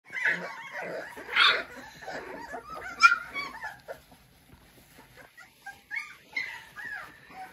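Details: Three-week-old American Bully puppies from a King Clyde and Dynasty litter, 2022, giving high whimpers and squeaky yelps in uneven bursts, several loud cries early, then fainter scattered whines.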